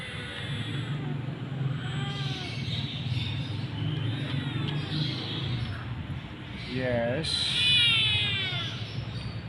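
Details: Mother cat and kitten waiting for food, out on a walk; a short falling meow, then a higher, drawn-out wavering cry, with a person's calm voice and steady low traffic rumble throughout.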